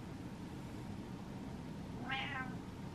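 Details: Indoor domestic cat, impatient from waiting, gives a single short meow after a stretch of quiet room noise.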